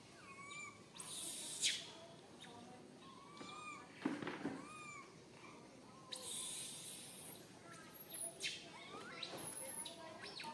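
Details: Tiny baby monkey stuck alone high in a tree, crying fearfully and calling for its mother; thin whistled arching coos repeat at irregular intervals between loud bursts of hissing, rustling noise.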